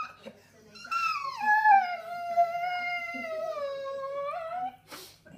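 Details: Female English Bull Terrier whining, probably hungry and wanting food or attention: one long, high, tonal whine that drops at first, then holds steady for several seconds before rising slightly and breaking off.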